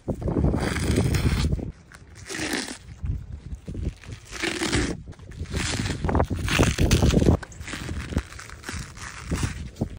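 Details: A donkey (Equus asinus) chews close to the ear, making loud, irregular crunching and grinding bursts.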